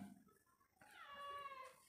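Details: Domestic cat meowing close to its owner, a single drawn-out tonal meow with rich harmonics that rises then slowly falls, after a brief quiet start and soft background noise.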